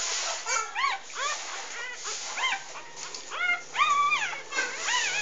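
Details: Three-day-old English Bulldog puppies of a first litter of six, three females and three males, while nursing: a chorus of high, short rising-falling squeaks and whines overlapping rapidly throughout, over a steady background hiss.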